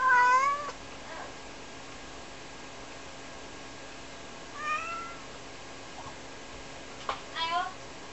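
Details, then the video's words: Two-year-old Ragdoll cat Rara meows indoors, calling for her unseen owner while laundry is being done; a loud meow opens, followed by two shorter, softer calls spaced several seconds apart, with faint room noise. "ひとりじゃ寂しいよ～猫 When Rara is alone"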